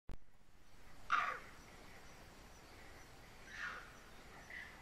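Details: A bonnet macaque gives harsh, raspy alarm barks after seeing a leopard in the dark at night, warning of the predator nearby.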